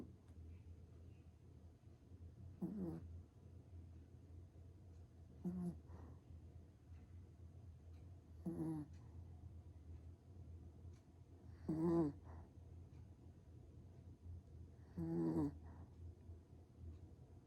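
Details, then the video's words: Black Pomeranian, a small dog, snoring while asleep: soft rasping snores with a nasal tone, roughly every three seconds, over a steady low hum. "포메라니안 코골이 •소형견 코골이"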